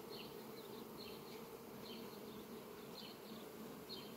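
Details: A swarm of honey bees in flight over sunflowers on a farm, 18 July 2021, hums steadily and densely, with small high twittering notes repeating through the clip.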